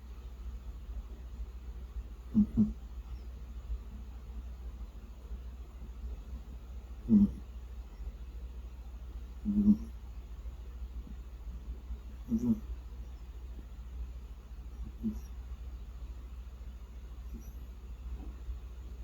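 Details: A sleeping cat snores indoors, short soft rasping snorts recurring roughly every two and a half seconds, each a brief low burst over a steady low hum.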